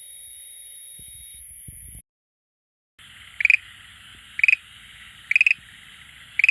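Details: Schlegel's green tree frog that comes to an aquarium tank every day to call. After an opening stretch of hiss and a silent gap, four short rattling trains of rapid pulses repeat about once a second over a steady background hiss.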